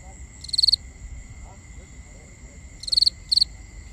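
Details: Binaural night sounds of crickets: a single trilled chirp early on, a quiet pause, then two more quick high chirps close together at the end, over constant shrill insect tones.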